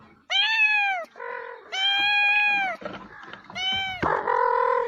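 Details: Domestic cat meowing: three loud, harmonic-rich meows, each about half a second to a second long and held fairly level, with softer nasal mews and clicks between them.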